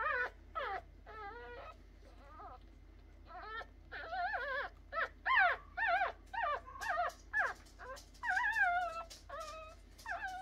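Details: Three-day-old puppies whimpering and squeaking: a run of short, wavering, tonal cries with bent pitch contours, coming in quick irregular bursts about twice a second, several voices overlapping, over a faint steady low hum.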